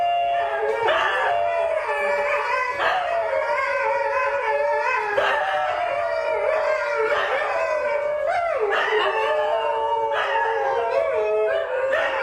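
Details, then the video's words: A group of about four or five New Guinea singing dogs inside a home, recorded by a wild dog foundation, 29 March 2017, singing in overlapping constant howls: sustained wavering tones that slide and break, new voices joining every two or three seconds. "finally this is what these dogs sound like the new guinea singing dogs"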